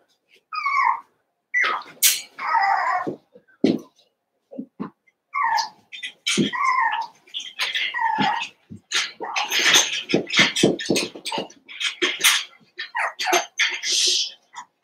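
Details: Cavalier King Charles Spaniel puppies, eight together after Daisy's litter of six joins Robin's two pups for play: short harmonic yelps and squeals in bursts, separated by brief pauses, with scuffling and clicking noises in between.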